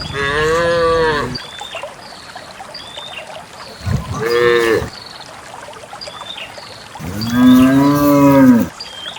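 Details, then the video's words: Dozens of cattle heading out together to a green valley on a quiet morning, walking along wet paths through wild grass; three loud harmonic moos, the last deepest and longest, with small bird chirps between them. "the distinctive sound of cows"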